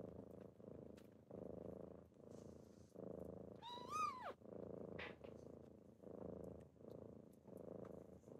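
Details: A morning wake-up by kittens: a rhythmic rumbling purr in breath-length pulses, broken midway by one clear, sliding meow that rises then falls, followed by more purring and light rustling.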